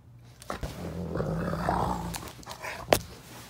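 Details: A high-content wolfdog reacts to being touched with a low, rumbling growl that holds steady for over a second, then fades into a few short thumps and clicks, with no speech over it.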